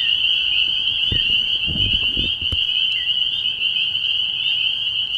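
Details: Spring peepers calling together at a frog pond at night early in the year: a dense, unbroken band of high, shrill peeps with overlapping voices, plus a few low thuds in the middle.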